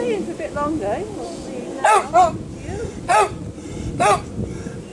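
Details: Ben, a dog, barking while in the water. Faint talking at the start gives way to four sharp, high barks: a quick pair, then two single barks about a second apart.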